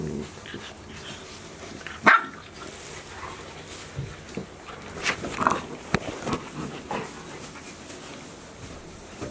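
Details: Golden Retriever puppies aged 73 days, offspring of Chiro, at Ain village, recorded 7 July 2018; a single sharp bark stands out near the two-second mark amid faint shuffling and scattered soft background noises.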